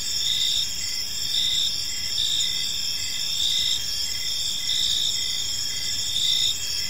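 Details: Crickets chirping on an evening in a peaceful park, a dense high-pitched chorus of steady trilling bands with softer pulsed chirps repeating beneath, continuous throughout with faint low background rumble.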